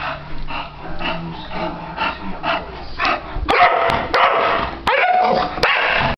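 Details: English Bulldog, four years old, vocalizing at a ceiling fan that has just been turned on: throaty grumbles build into louder, rough barks packed tightly together, some sharp clicks between them.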